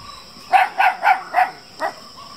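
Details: Black Belgian Shepherd Groenendael puppies in Attapady, Kerala, reacting after being surprised from afar by a bark and growl; four quick, high yapping barks in a row, then one more after a pause, with a steady background hum.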